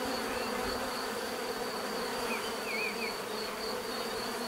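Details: Natural bee buzzing forms an even, unbroken drone, with a short run of faint wavering bird-like whistles in the middle and a steady thin high tone behind.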